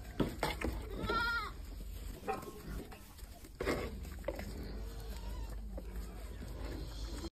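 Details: Goats rushing to drink milk, one giving a brief, rising and falling nasal bleat early on, amid a busy jumble of shuffling, thuds, low voices and a steady high electrical whine.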